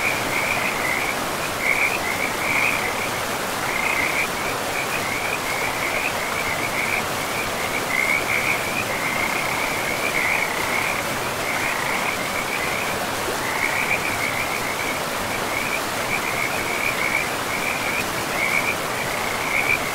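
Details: Frogs beside a river in a pristine forest with trees and moss-covered land: a continuous high-pitched chorus of rapid trilling bursts, overlapping and pulsing unevenly throughout, laid over a steady broadband rush of flowing river water.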